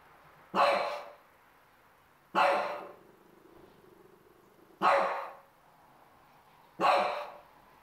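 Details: Four-month-old French Bulldog barking in anger at the television; four loud, rough single barks spaced roughly two seconds apart, each fading quickly, over a quiet room with low background hum.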